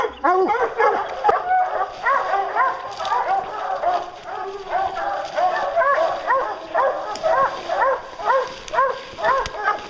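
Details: A pack of hounds bays while bear hunting, the arched barks and bawls coming about twice a second in a dense, overlapping chorus, with faint clicks behind.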